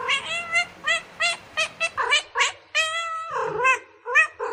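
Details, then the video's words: Cats meowing in a bamboo tree while looking for food and drink: a rapid series of short, bright harmonic meows, about two per second, some longer and wavering, with a few lower throaty calls between. "The sound of a cat meowing in a bamboo tree, calling"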